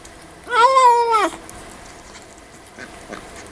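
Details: A kitten meows while eating, giving one long, loud, rich harmonic meow lasting under a second, slightly rising then falling at the end, followed by quiet smacking sounds.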